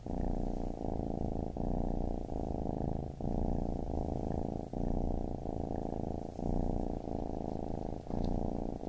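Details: Rhythmic purring from a baby kitten, a thick low rumble broken by brief breath pauses roughly every three-quarters of a second, very even throughout.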